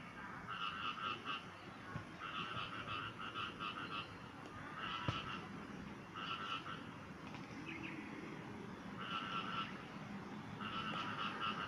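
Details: Frogs calling: short bursts of rapid, pulsed croaks repeat every one and a half to two seconds over a steady hiss of background noise, with a faint low note near the middle.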